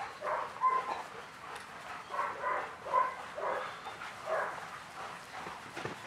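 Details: German Shepherd puppy, eight weeks old, playing with a pack of adult dogs during social training. Short, yappy barks and yips come in quick bursts about once a second over a steady background hiss.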